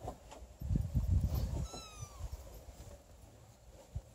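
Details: Thirty-day-old Don Sphynx kitten with its parents: after a burst of rustling and handling noise, one brief, high, falling mew lasting under half a second, then quiet with a faint tap.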